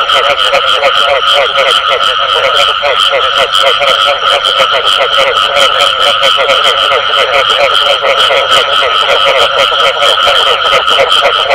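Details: Frogs calling together, including the call known locally as bù tọt: a dense, unbroken chorus of rapid overlapping pulses with steady ringing mid and high tones, continuous and loud throughout, no pauses.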